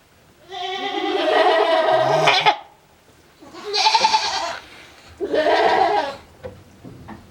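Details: Male goat on a farm in Japan, December 2022, making strange cries: three drawn-out, harsh, nasal bleats about a second or two each, with short gaps between them.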